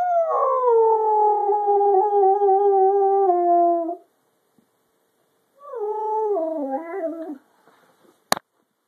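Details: A Siberian Husky gives two long, mournful howls, each sliding slowly downward in pitch.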